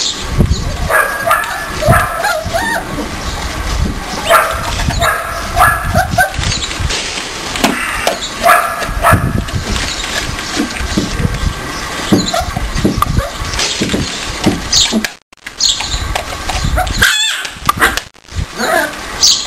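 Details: Four-week-old Siberian Husky puppies yip, whine and grumble in quick bursts while play fighting with their littermates.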